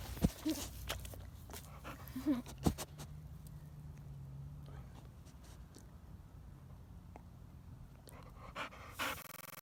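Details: A Boxer dog gives a low, drawn-out grumbling whine between soft pants and scattered thumps, indoors while being played with and called silly by its owner. Boxer dog whine.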